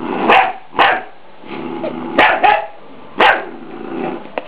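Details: Three-month-old pet Scottish Terrier puppy barking at a deer skull, guarding its owners; four sharp high barks roughly a second apart with low growly rumbles between them.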